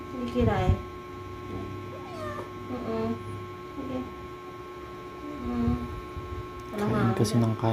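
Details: Pet cat giving birth for the first time, its owners assisting: several short, bending meows scattered among people speaking Tagalog, with a louder cluster of calls near the end.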